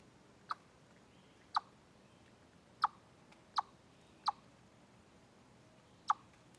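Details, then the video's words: Deer Trail chipmunk, 27 August 2013, taken from a live stream, giving six abrupt, dry chip notes at uneven intervals of about one second against faint steady background hiss. "Noise Chipmunk"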